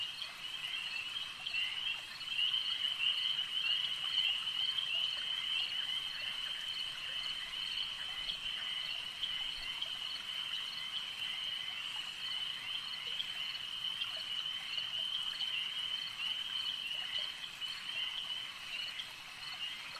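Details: Lakeside frogs in full chorus: a steady, bright, high trill that never pauses, with rapid pulsing notes repeating many times a minute and faint scattered clicks underneath.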